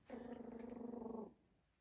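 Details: A young Schnoodle puppy, recently wormed and in a quiet building with its mother and radio music playing, gives a steady, nasal whining chirp lasting just over a second, sounding like a baby raccoon.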